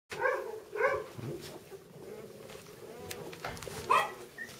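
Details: Labrador Retriever puppies, littermates, giving a few short, high, harmonic yelps close together at the start, then softer whines and scuffling, with one more sharp yelp near the end.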